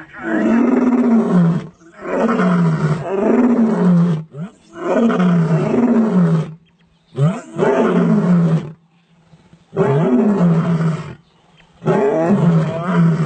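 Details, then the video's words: Male lions give a series of powerful roars, about six heavy, rasping bursts. Each lasts one to two seconds and falls in pitch, with short pauses between them. "Powerful Roar of male lions"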